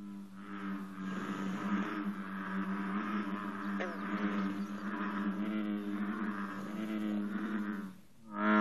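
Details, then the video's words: Morning bullfrog chorus at 54 degrees alongside green frogs. Many deep, humming voices overlap into one continuous resonant drone for about eight seconds, then break off abruptly. "Bullfrog & greenfrog chorus- 54 degrees"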